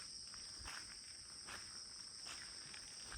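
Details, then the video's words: Crickets calling on all sides at a quiet guest house bungalow in Kulaura, Moulvibazar: a steady high-pitched ringing drone with faint scattered clicks and footsteps. "ঝিঝি পোকা ডাকছে সব দিকে।"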